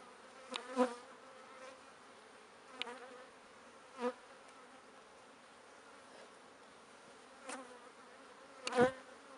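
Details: Bees storing pollen hum softly and continuously, punctuated by sharp clicks and brief louder buzzy swells roughly every two to three seconds.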